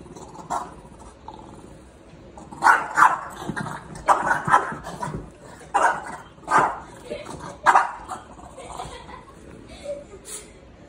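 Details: Young Great Dane at play with a French Bulldog, poking at her: a run of sharp, irregular barks and yips between about three and eight seconds, mixed with scuffling and a person talking.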